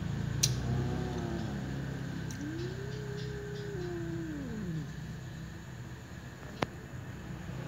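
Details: Ginger cat and black cat meowing at a door: a long drawn-out meow rising then falling, with a fainter overlapping meow, over a steady low hum and a few sharp clicks.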